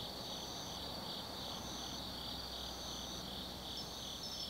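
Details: Night chorus of autumn insects in forest at Tsukimi no Mori, Nanno-cho, Kaizu, Gifu, Japan: continuous high shrill trilling with rhythmic pulsing bands and a thin whistled note near the end over soft distant hum.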